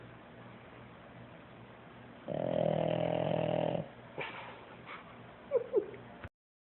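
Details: A sleeping puppy, recorded on an Android phone, gives one deep, rasping snore that lasts about a second and a half, like a man's snore. Small rustles and faint squeaky sounds follow.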